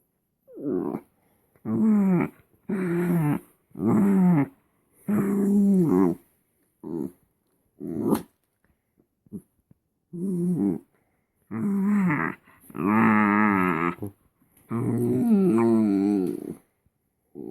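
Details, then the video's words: Pet Shetland sheepdog making funny pleasure noises: irregular runs of low moaning, grumbling vocal bursts with warbling pitch, a brief pause midway, then longer whiny groans rising in intensity toward the end, indoors. "Shetland sheepdog funny noise. Rhea feeling pleasure"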